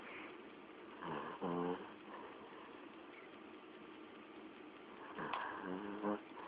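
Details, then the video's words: Dog asleep and snoring: two separate rasping, throaty breaths about four seconds apart, each a short harmonic buzz, the second followed by a small click and low background hiss in between. "Dog Snoring"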